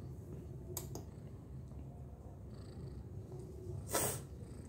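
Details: Domestic cat purring in a steady, low, rumbling drone throughout, with a few sharp broadband clicks or knocks near the start and a louder brief noise burst toward the end, indoors.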